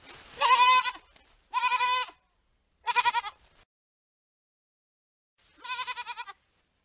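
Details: Young sheep (hogget) bleating four times: three tremulous, wavering bleats in quick succession, then a pause of about two seconds before a final shorter quavering bleat; no other sounds.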